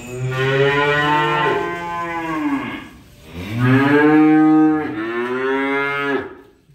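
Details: Unloaded cattle mooing in three back-to-back calls: a long, deep bellow, then a louder rising moo, then a shorter falling one, each full-toned and harmonic, with little background noise.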